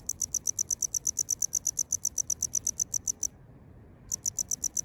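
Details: A male tropical house cricket calls in Okinawa, Japan, singing from roadside gutters or cracks in concrete. Rapid, high, clicking chirps run about eight per second, stop for nearly a second, then resume at the same pace.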